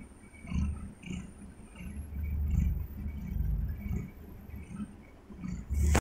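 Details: Domestic cat lying in bed and purring: low, deep rumbling pulses that swell and fade in a slow breathing rhythm about twice a second, with faint rustling and a brief handling noise at the end.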